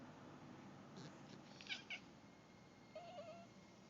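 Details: Indoor Turkish Van cat, female, chattering on spotting a bird beyond the window: a pair of brief, sharp chirps, then after a pause a soft, low wavering chatter of three quick notes over faint room hiss.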